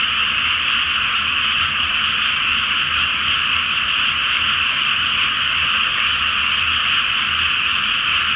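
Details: Frogs in full chorus at night over a pre-planting flooded rice field beneath the full moon in Japan, a relentless blend of many overlapping croaking calls forming a continuous high, rasping wash of sound.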